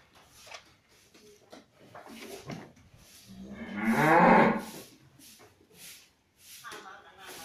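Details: Cattle in a very clean barn on a cattle farm give one loud, drawn-out moo lasting about two seconds, swelling then fading, with scattered knocks and clatter before and after.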